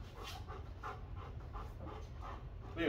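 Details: Four-year-old golden retriever at off-leash obedience training in Georgia, panting steadily in quick rhythmic breaths, roughly three per second, over a low background hum, with a faint voice at the very end.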